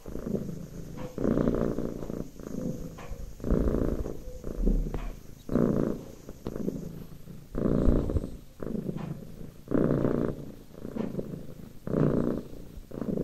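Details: Lap cat purring contentedly, loud rumbling bursts about every second and a half, each breath in and out clearly rising and falling, with brief soft rustles between.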